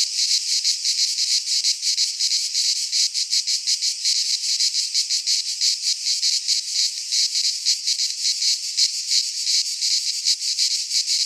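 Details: Cicadas singing in midsummer in a Greek pine forest: a dense, loud, raspy buzz pulsing rapidly and continuously, high-pitched with no other sounds.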